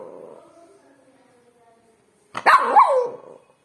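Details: Pet dog giving a soft low whine that fades out, then after a pause a single loud harsh bark lasting about a second.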